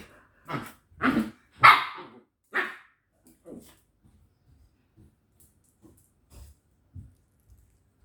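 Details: Domestic dog at home, from a pair made up of Candy, a village dog, and Angel, a corgi, playing indoors; four strong barks in quick succession over the first three seconds, then softer scattered sounds and faint voices.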